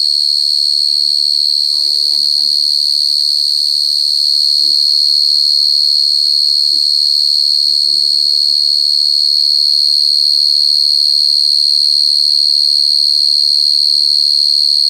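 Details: Cricket giving a continuous, shrill, high-pitched trill that holds a steady pitch throughout without pause, with faint low voices murmuring in the background.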